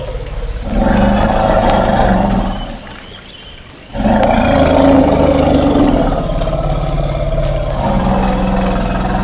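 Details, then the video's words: Elephant calling with loud, throaty roars over a low sustained rumble, a brief lull near the middle, then the heavy droning call resumes and holds steady. "Elephant Calling Sound"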